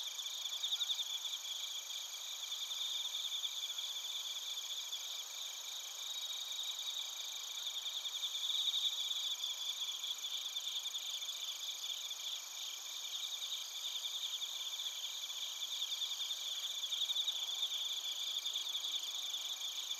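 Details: In Narita, Chiba Prefecture, Japan, a chorus of bell crickets and crickets recorded on a TASCAM Portacapture X8: steady, overlapping high-pitched trills with rapid pulsing and faint bell-like notes throughout, and no other clear sounds.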